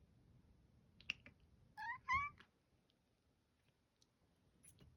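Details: Female tortoiseshell cat, recorded 11 September 2022, utters two short, quick meows in succession, the second slightly rising. A few faint clicks and taps are heard around them.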